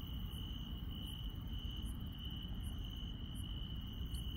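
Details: Night-time insect chorus in the countryside: one continuous high-pitched trill holds steady while a higher, sharper chirp repeats about every 0.8 seconds over a low rumbling background.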